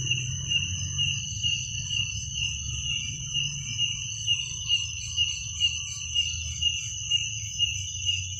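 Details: Crickets at night: a steady high shrill trill with a second, higher ringing band, pulsing about twice a second, over a soft low rumble of background noise.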